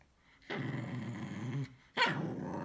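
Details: Isabelle, a female Cavalier King Charles Spaniel, growls while reacting to a vacuum cleaner indoors with her toy ball. A long, rumbling growl of over a second is followed by a sharper growling yap.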